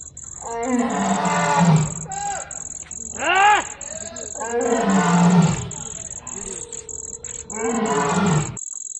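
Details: A lion roars at night: deep, rough roars rise and fall in long bursts over a steady high insect-like buzz.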